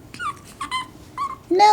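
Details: Seven-week-old Pekingese puppies indoors, bred in Akron, Ohio: short high whimpering yelps with wavering harmonics, three brief cries followed by a louder squeal at the end, with a woman softly calling to them nearby.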